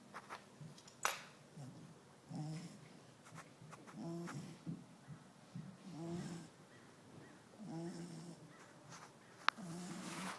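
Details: An 11-week-old male French Bulldog puppy snores in low, rattling, rhythmic breaths, roughly every two seconds.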